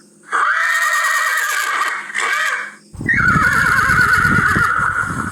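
A horse gives a loud, shaky neigh, breaking off briefly before a second quavering whinny.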